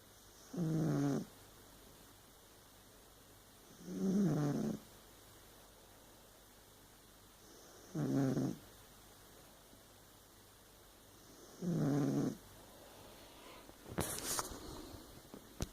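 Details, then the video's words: Sleeping Burmese cat snoring steadily, four low, throaty snores spaced roughly every three to four seconds, followed by a brief rustling click at the end. "My snoring Burmese cat"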